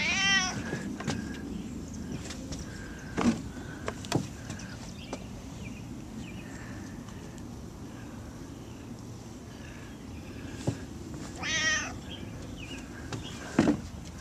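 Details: Gato, a house cat wandering around the yard and home, meows twice: one short wavering cry at the start and another near twelve seconds. A steady low hum, clicks and faint chirping fill the gaps between calls.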